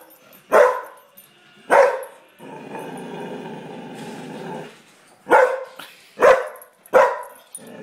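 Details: Domestic dog barking at a pug appearing in a Doritos advert, two sharp barks, a stretch of TV sound, then three more rapid barks in succession.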